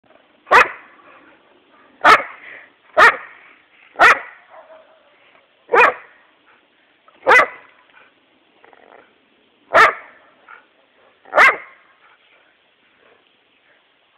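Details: Pet female dog barking: eight sharp, loud single barks spaced irregularly, about one to two and a half seconds apart, with the start of a ninth at the very end, and a quiet background between them.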